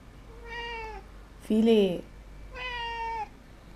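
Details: Indoor domestic cat meowing twice, each cry long, harmonic and slightly descending, with a louder human voice in between, spoken while a person talks about Alaska pollock fillet.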